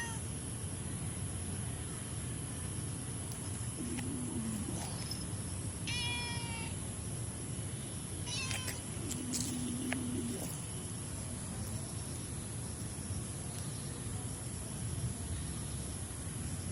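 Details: An orange cat that has already eaten half a can gives a few short, harmonic meows around the middle of the recording. A steady background hiss and a low hum run throughout.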